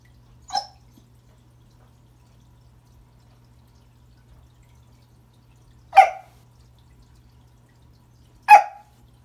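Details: Remington, a Pembroke Welsh Corgi, barks at a new toy under the Christmas tree to say hello: three sharp, short barks spaced a few seconds apart indoors, with near silence and a low steady hum between them.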